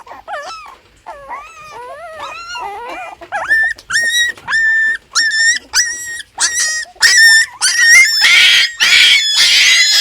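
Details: One of six newborn puppies cries, soft wobbling whimpers at first building into loud, evenly spaced piercing cries about every half second, ending in harsh, rasping squeals.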